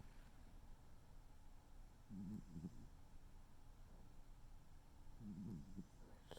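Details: Noodle, a tuxedo cat, snores in its sleep: two low, fluttering, buzzy breaths about three seconds apart against a quiet room hum.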